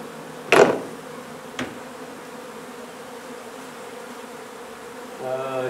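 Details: Buzzing of a honey bee colony during a hive removal at a renovated old house in Donna, Texas. A constant humming drone is broken by a sharp knock and a lighter tap, then a tonal mechanical whine near the end.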